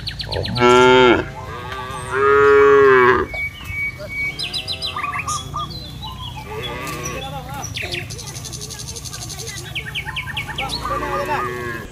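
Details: Cattle wandering a village field, mooing to call companions back to the pen: a short moo followed by a longer, steadier one, then varied bird chirps and twitters for the remaining seconds.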